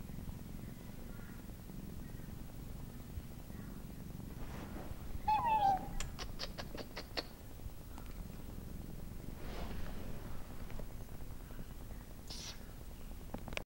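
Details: A male Siamese cat gives a brief, slightly falling meow over a low background rumble.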